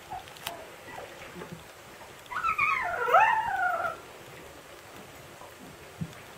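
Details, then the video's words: Husky puppy yelling at its siblings: one wavering, whining yelp lasting under two seconds, rising then falling with bright overtones, amid faint scuffling and rustling indoors. "Husky Puppy Yells at Siblings"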